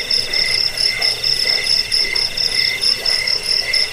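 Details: Cricket sound for rat repelling, sleep and songbird tutoring: piercing high chirps in brief pulsed bursts, roughly four per second, with a soft background hum.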